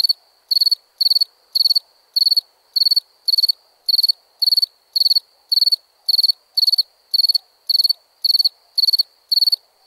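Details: Crickets at nighttime with high, trilled chirps in a regular series, nearly two per second, each chirp made of fast pulses; only faint hiss beneath.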